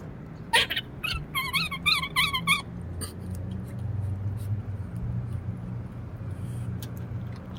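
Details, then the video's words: Squirrel giving an unusual sad yet funny-sounding call: sharp clicks, then a quick run of short wavering, nasal whining notes, each bending up and down, lasting about two seconds before a low steady hum takes over. "Squirrel makes a sad yet funny sound that I never heard before"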